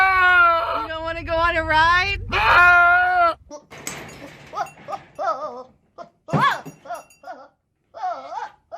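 A goat gives a loud, wavering bleat, followed by people talking and softer calls.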